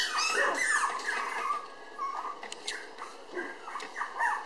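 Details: Red female Toy Poodle pup, born May 24, filmed June 30 at 700 g, makes rapid high whimpers and squeaky whines in close succession, loudest at the start, with faint clicks.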